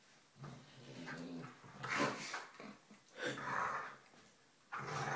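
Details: A smaller black dog playing indoors with his foster sister, both play-growling and showing off their teeth; low rumbling growls rise into several loud snarling bursts spaced about a second apart, with light scuffling between.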